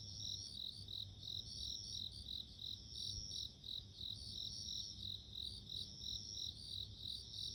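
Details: Bell cricket. Clear, high-pitched ringing trills from a bell cricket repeat in a steady, pulsing rhythm. A soft low rumble sits beneath the bright, tinkling notes.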